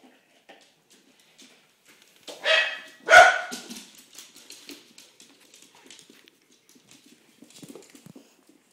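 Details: Welsh Terrier, one of a pair named Fiona and Flora, indoors in a small room: two sharp barks close together near the middle, then scattered soft clicks and faint rustling.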